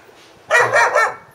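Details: Guard dog on watch letting out a fast run of three rough, broadband barks in about half a second, then falling quiet.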